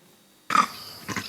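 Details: Monkey; alarm call; warning that an eagle is near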